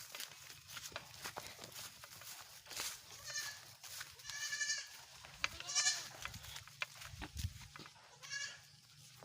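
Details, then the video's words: Goats being herded by their keeper, who talks and urges them along: several wavering, nasal bleats rise between stretches of speech, with a low rumble of handling noise underneath. "Maglalabo ng mga Kambing"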